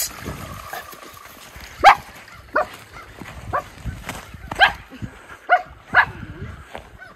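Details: Two Miniature Schnauzer brothers frolic off leash in winter snow in Aroostook County, Maine, on January 6, 2023. Short, sharp barks come in scattered bursts, about six over seven seconds, with faint outdoor background noise between them.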